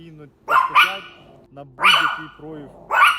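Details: Domestic dog barking: four loud, harsh barks, two close together near the start, then one at a time roughly a second apart, with a man's voice talking quietly underneath.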